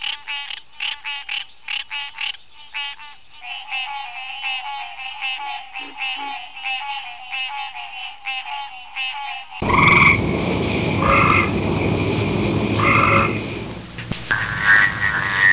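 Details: Frogs from the recordist's local area, giving rapid, nasal, pulsed croaks in a fast, uneven series that run together, followed by a louder, noisier passage with separate tonal notes.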